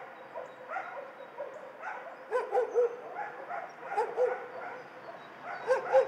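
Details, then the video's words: Dogs housed in a shelter bark and yip in irregular volleys. Several voices overlap, with louder, higher yelps standing out over a continuous background of barking. "Tło dźwiękowe schroniska dla psów"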